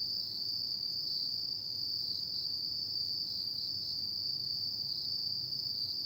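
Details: Insects singing on an autumn night, giving an even, ringing high-pitched trill that never pauses, with faint rhythmic flutter. A quiet low-frequency background murmur is also present.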